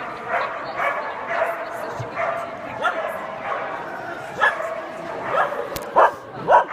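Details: Lhasa Apso during agility giving quick yappy barks, some with a rising then falling tone, spaced roughly a second apart and louder near the end, over a constant murmur of human speech.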